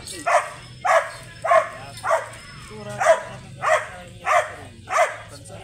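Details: Grey sable Belgian Malinois at a stud service in Bisal, Manaoag, Pangasinan, barking in a steady series of sharp, loud barks about every half second, eight barks in all, with faint background noise.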